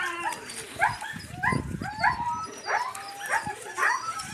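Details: Yakutian Laika puppies with their mother Rumba, the dirty little pups giving short rising yips and whines roughly every half second, bright harmonic squeals over a soft scuffling background.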